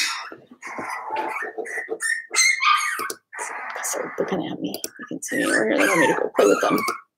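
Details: Four-week-old Cavalier King Charles Spaniel puppies from Daisy's litter in an indoor puppy pen, giving a dense run of overlapping whines, yips and squeals, with human speech mixed in.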